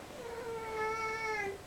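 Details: Kissel the cat, a domestic cat with suppressed sexuality, giving one long steady wailing meow lasting over a second, rich in harmonics, slightly falling at the end, in a quiet indoor room.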